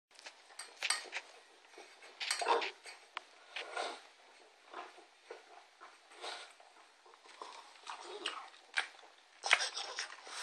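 A pug eats with loud, breathy snorts and snuffles, coming in uneven bursts every second or so. The rough, piglike grunting fills a small indoor room, with faint clinks in the background.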